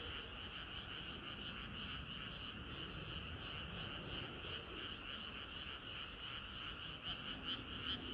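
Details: Many frogs sing together in a dense, unbroken chorus on a hot summer night, with steady pulsing trills layered in two bright pitch bands over a constant low rumble.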